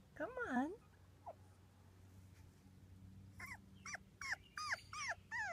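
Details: Two-week-old British Labrador Retriever puppies from a litter of six born June 24th, 2015: a wavering, rising-and-falling whine opens, then a run of short, downward-bending yelps near the end, over a steady low hum.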